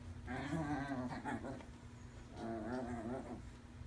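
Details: Two chihuahuas indoors at play time, one a five-month-old rescued puppy learning to play with a toy, giving two drawn-out wavering growly whines, each about a second long, over a steady low room hum.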